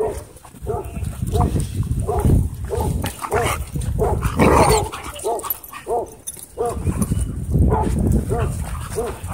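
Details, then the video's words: Dogs at play in a dog park trade bursts of short, bright barks and yips, clustered in quick runs with brief pauses, over low growling and some people talking. "Epic Dog Park Battle Royal"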